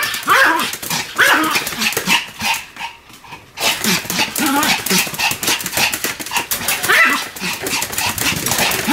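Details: Sam, a Pomeranian, barks nonstop while spinning rapidly; dense, rapid yaps and whines pack the clip, with a brief pause near three seconds before the barking resumes over clattering background noise.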